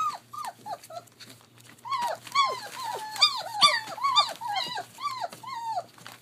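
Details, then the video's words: Playing German Shepherd pups aged 21 days, kennel-raised in Mayo, Florida. Soft scattered whimpers build into a dense, rhythmic chorus of rising-then-falling squeals and yips from more than one puppy, easing off near the end. "GSD Puppies 21 Days at play"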